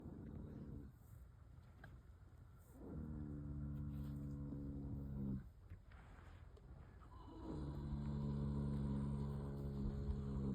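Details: Sleeping female Rocky Mountain Horse snoring loudly: long, deep, buzzy rasping breaths with a low droning tone, three drawn-out snores of about two to three seconds each, separated by quieter pauses.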